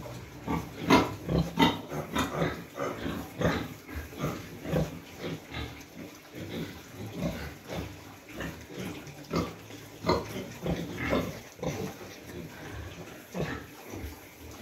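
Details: Recently farrowed sow with piglets in a pen in cold weather; many short low grunts and snorts follow each other quickly and irregularly throughout, over a faint constant hum.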